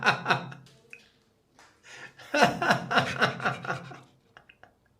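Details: People chuckle, gasp and talk indoors in short bursts of laughter, with breathing sounds between; no animal voice is heard.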